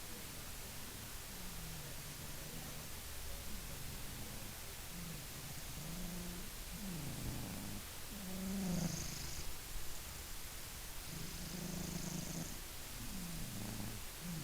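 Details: Maine Coon cat asleep and snoring: low, rough rumbling breaths held near the bottom of the range, swelling and fading in uneven waves, with a few louder snorts around the middle and soft hiss above.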